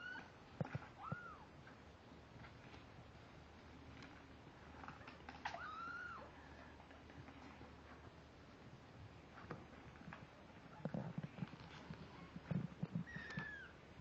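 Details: Kittens aged 17 days, born on Halloween 2011, recorded November 16, 2011: a few high, curved mews early and one near the end, separated by rustling, thumps and low background noise.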